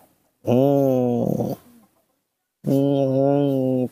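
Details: Tantrum of baby monkey Nomi, who refuses a hug: two loud, sustained, flat wails about a second long each, separated by a quiet pause, heard indoors.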